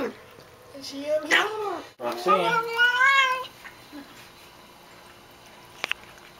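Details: A female house cat calls out while drinking water, giving a few rising and falling moaning meows, some bending upward. A person speaks softly to her, and a brief click follows later.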